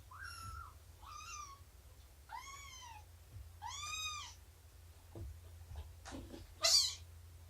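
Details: Domestic cat indoors during snuggles, nursing and play time with Shelby, an abandoned mother cat estimated at two years old, and her kittens of around three months: four clear, arched, harmonic meows in steady succession, followed by faint taps and a brief noisy burst.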